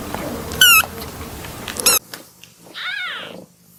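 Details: Playing kitten giving two brief, sharp, high squeaks over a steady background hiss, then, after a short pause, a single arched, wavering meow in a quieter room.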